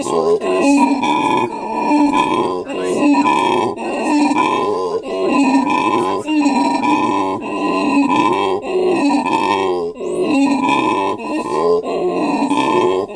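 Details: At a South African monkey sanctuary, a captive male howler monkey calls near his female and offspring. Pulsing, hoarse grunts repeat close to once a second in a steady rolling chain, each swelling then fading.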